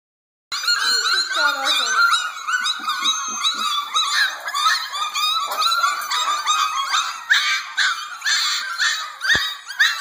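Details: Eleven hungry puppies in the morning before feeding, a dense chorus of overlapping high whines, squeals and yelps, some rising and falling, running continuously without pause after a brief silent start.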